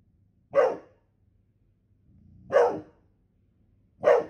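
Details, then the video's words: Golden Retriever giving three single, deep barks about two seconds apart, with a faint low rumble between them. "Golden Retriever Barking Sounds To Make Your Dog Bark | Aggressive Growling"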